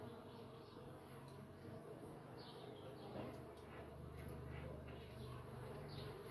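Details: Uruçu nordestina stingless bee (Melipona scutellaris) entering its nest: a low, steady droning hum that swells and fades, over a noisy background with faint high chirps.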